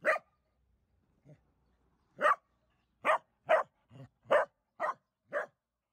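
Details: Dachshund barking in short, sharp, harsh bursts: seven loud barks spaced roughly half a second to a second apart, with two softer, lower huffs between them, over an otherwise quiet background.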